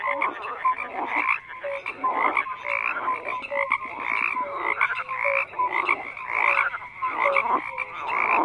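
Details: Chorus of croaking frogs: rhythmic bursts of rough, pulsed croaks roughly every second, mixed with short clear piping notes from several animals calling together.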